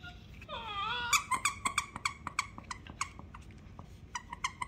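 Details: Baby Siberian Husky: a drawn-out, wavering high whine, then a rapid run of short, bright yips, roughly three or four per second, ending in a few more scattered yaps over a quiet indoor background.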